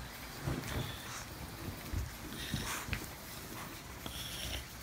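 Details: Kong-i, a pet Maltese, is left indoors with a relative while the owners go shopping and fusses in their absence. Thin, high whines come in short bursts between low thumps and handling noises in a small room.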